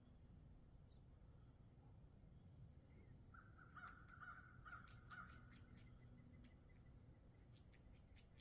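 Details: A squirrel scrapes down a thick-shelled black walnut in sharp, uneven clicks and cracks, with a crow cawing nearby.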